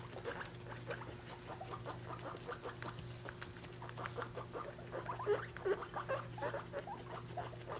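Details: Guinea pig mother and her three-week-old babies, weighed after growing to about three times their birth weight; quick run of short soft chirps, roughly two or three per second, with rustling and a steady low hum.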